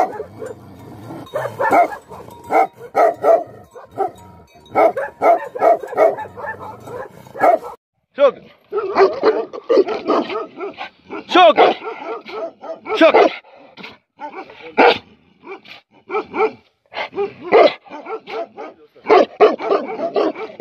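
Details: Angry Tibetan Mastiffs, known locally as Bhote Kukur, barking in dense uneven bursts of deep, rough barks that overlap and come in quick runs, with a low steady hum under the first third.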